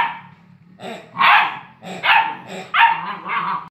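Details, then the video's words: A Great Dane with a new piggy toy gives loud, hoarse barks in uneven bursts, with a quiet murmur beforehand. "Jeepers Great Dane piggy Barking"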